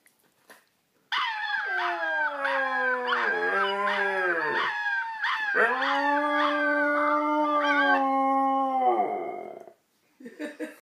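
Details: Siberian Husky howling at puppies: one long, sustained howl lasting about eight seconds, wavering and dipping in pitch midway, then holding a steady tone before fading, with short yips at the end.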